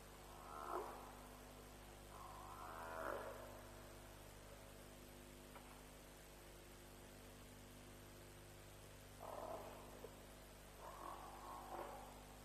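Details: Around 3 am at Djuma on 07/03/07, African buffalo near a lions' kill give four nasal, moaning bawls in two pairs separated by a quiet gap, with a constant low hum underneath, from a live stream.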